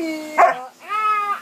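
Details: A seven-month-old male Alaskan Malamute 'talks' with a drawn-out, tonal woo that swoops up and back down, while being told no biting indoors.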